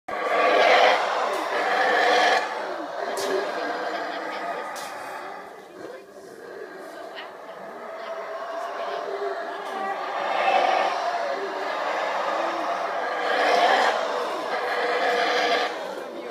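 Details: Black howler monkeys of one group roar in deep, rasping waves as two groups meet and call against each other near Monkey River, Belize.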